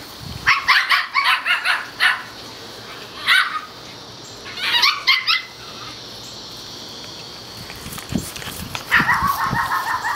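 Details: Outdoor play among four male Toy Schnauzer pups, seven weeks old, in liver parti, black and white parti and black and silver coats; shrill yapping comes in rapid bursts of several barks, separated by pauses.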